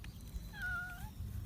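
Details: Kitten making a strange sound while eating chicken breast: a single brief, thin, level tonal cry lasting about half a second, over low background rumble.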